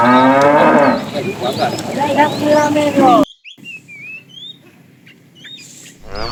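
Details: A fat cow in a tame herd being driven in the afternoon calls to a female with a loud, harmonic-rich moo lasting about three seconds, wavering in pitch, then falls quiet while small birds chirp in the background.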